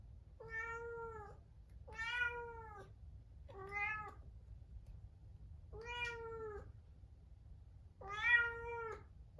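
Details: Pet Munchkin cat kept in another room ahead of neutering surgery, crying plaintively; five long, even meows come roughly every two seconds over a faint low background hum.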